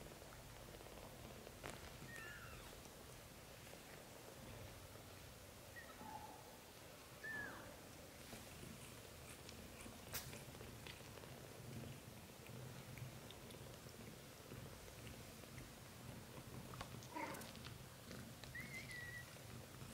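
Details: British Shorthair family: kitten Lotus sleeping and dreaming in mother Samel's arms while his brothers suckle milk; a few faint, short high mews, soft and scattered, over a low steady purr-like rumble and small rustling clicks.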